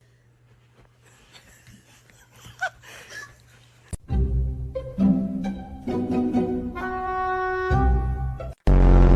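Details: Quiet rustling gives way to loud bowed-string music with sustained tones, ending in an abrupt louder burst; no animal voice is heard.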